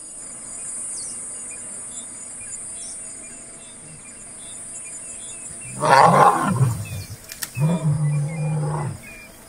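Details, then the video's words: Lion roar in Kruger National Park, South Africa: after quiet bush hum with insects, a white male and a Satara Pride female begin a deep rumbling roar around six seconds, followed by a second lower, sustained moaning burst. "Casper the White Lion of Kruger, Roaring with CUBS!!"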